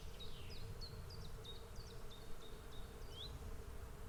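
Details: Swarm of bees giving a steady, dense droning hum that holds one even pitch throughout, over low rumbling noise; a small bird's thin, high chirps repeat in a quick run above the buzz.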